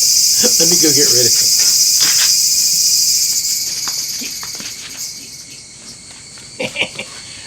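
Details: A cicada in a garden in southern Japan, in early summer just after the monsoon rainy season, gives a loud, steady, high-pitched buzz that fades in the second half, while a man speaks briefly.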